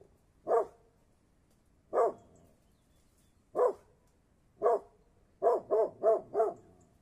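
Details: Mountain Cur barking: single deep, short barks spaced a second or more apart, then a quick run of four barks, over a quiet background.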